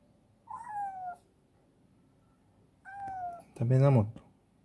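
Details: Chibikuro, a female black cat rescued as a stray and now affectionate, meows twice at feeding time in a warehouse, each cry a clear tone sliding downward, followed by a low rough voiced sound.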